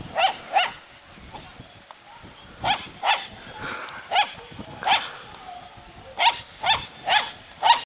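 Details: Young dog, still a pup, barking at a horse in Natonin, Mountain Province, early 2008: short sharp yaps, often in pairs, about ten in eight seconds, over steady high hiss from old recording equipment.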